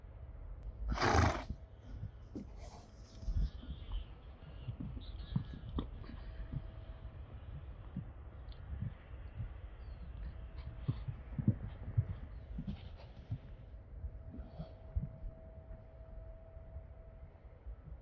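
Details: Friesian horse giving a single short, loud whinny burst near the start, followed by a long stretch of low rumbling stable noise with scattered small knocks and faint rustling.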